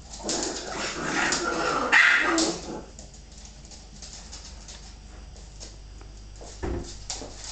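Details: Bull Terrier female wrestling playfully with her pups; loud overlapping barks and yelps for about three seconds, then near quiet with faint scuffling and one brief thump.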